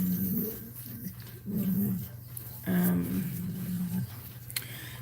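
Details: Cane Corso crying during a labour indoors, with one puppy born so far: three drawn-out, tonal whining cries, each lasting about a second, separated by short pauses, over a steady low hum in a small room.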